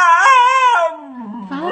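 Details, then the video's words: A "talking" dog from a funny pet compilation gives a loud, drawn-out, tonal howl-like cry. It holds steady for almost a second, then slides down in pitch into a lower murmur and ends with a brief upward lift. "CACHORRO FALANDO - MELHORES VÍDEOS DE CACHORRO FALANTE"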